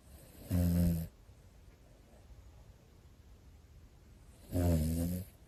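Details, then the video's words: Sleeping Pomeranian, one of two brothers kept as indoor pets, snoring: two loud, rough low rumbles about four seconds apart, each lasting roughly half a second, with quiet room tone between. "ポメラニアン兄弟～この いびき 大丈夫？と思う場面が…"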